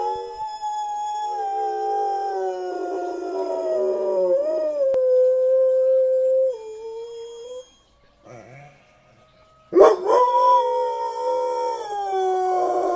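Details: Black dog singing along to sirens: long, wavering tonal howls held for several seconds and sliding slowly downward, a brief quiet gap, then a sharp rising onset into another sustained, rich-toned howl.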